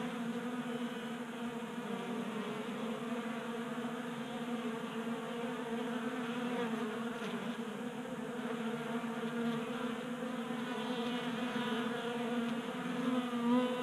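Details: Honey bees feeding from a tabletop feeder indoors in Colorado in winter warmth, a constant humming buzz with wavering harmonic tones that shift slightly in pitch as bees move about.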